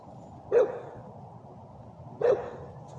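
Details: English bulldog giving two short, deep barks about one and a half seconds apart against a quiet, steady background hum.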